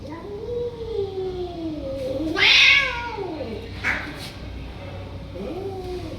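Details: Stray cats being called for food, meowing loudly: long wavering meows that dip and rise, one louder strained cry mid-way, then shorter meows with a sharp rising onset near the end.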